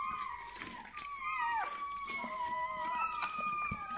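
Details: Newborn Bernese Mountain Dog puppy at birth, giving thin, high whining cries that slide and waver, with a long drawn-out whine that dips at the end, followed by steadier level whines.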